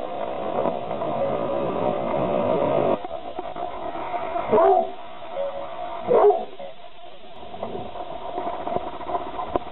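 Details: Wonk, a pet dog, barks at his own reflection in a mirror, too scared of the image to attack it. Two sharp, loud barks stand out midway through, over muffled indoor background sound.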